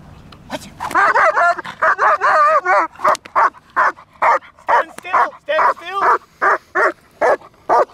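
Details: German Shepherd during training under full control, giving loud, harmonic barks in a fast, uneven series of about fifteen, roughly two per second, some with a whining, wavering edge.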